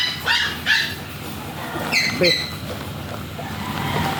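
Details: Teacup Chihuahua during stud service at RBC Farm in Laoac, Pangasinan: two pairs of short, high, ringing yips, each pair about half a second apart, over a low steady background hum.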